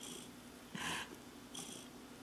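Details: Clarence the cat, big and blissfully relaxed, purring under two breathy in-and-out pulses, the first louder and snort-like, against a quiet indoor background.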